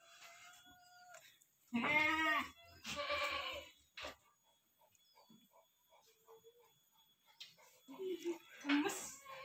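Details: Kaligesing goat, a Peranakan Etawa breed, kept by a woman: one strong wavering bleat near two seconds, a second harsher bleat just after, then faint sounds, and a short rising cry near the end.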